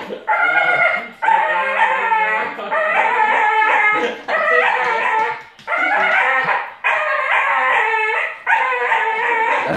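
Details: Bull terrier producing weird noises: repeated drawn-out, groaning whine-howls about a second long each, around seven in sequence separated by short breaths.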